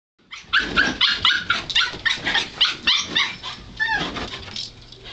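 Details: Two young puggles meeting and getting to know each other, a run of high squeaky whines and yelps, rapid pitched bursts about four per second, some sliding downward, fading at the end.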